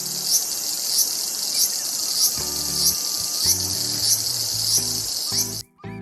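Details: Cicada: a loud, steady high-pitched hissing buzz that swells in soft pulses about every 0.6 seconds, with background music of low notes entering midway and the buzz cutting off abruptly near the end.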